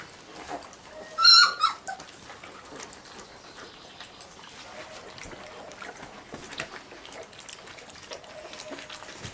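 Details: Giant schnauzer of the Blackmoore O litter: one loud, high, tonal squeal lasting about half a second early on, then a second shorter squeak, followed by faint whimpers amid soft rustling and shuffling noises.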